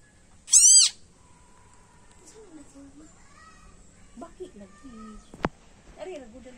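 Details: Loud cry from a tiny frog bitten by a snake, a single harsh downward-sliding scream near the start, followed by low human voices and a sharp click.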